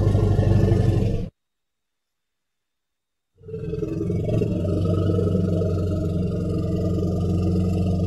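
An elephant gives a deep, throaty rumble that breaks off briefly and then resumes, steady and low.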